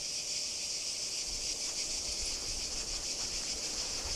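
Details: Cicadas recorded at Kardamyli, 2013: a steady, high sizzling drone with soft pulsing texture, quieter and more distant, with faint rustle beneath.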